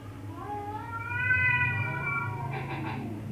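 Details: A cat gives one long, drawn-out meow that rises then slowly falls, with a steady low hum beneath it.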